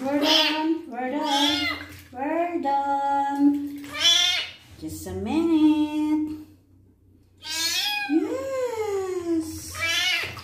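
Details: Kitten during its first bath while its wounds are cleaned, meowing a lot: a series of loud, drawn-out meows, some rising then falling, separated by short pauses, with a low hum underneath.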